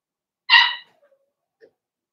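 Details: Indoor pen holding a litter of six Blenheim Cavalier King Charles Spaniel puppies, two female and four male, born in March; one sharp, bright yip, then near silence with a faint tiny squeak.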